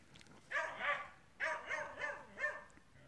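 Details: French Bulldog giving three short bursts of harmonic, slightly whiny barking, each about half a second long, separated by brief pauses in a quiet indoor setting.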